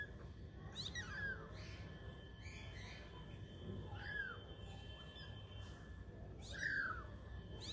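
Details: Kittens aged twenty days playing and trying to walk give several faint, falling mews, the clearest near the end, against a steady low rumbling background.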